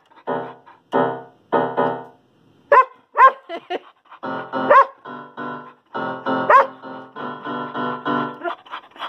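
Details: Little female poodle singing along while her owner plays the piano indoors; repeated piano chords dominate, with the dog's brief sliding, upward-swooping howls breaking in four or five times over the music.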